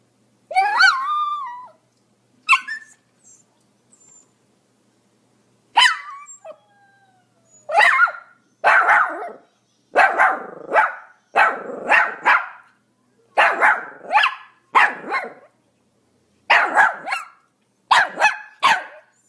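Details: Pomeranian barking: a few high, sharp yaps with pauses, then a steady run of quick yapping barks in short clusters, two or three at a time.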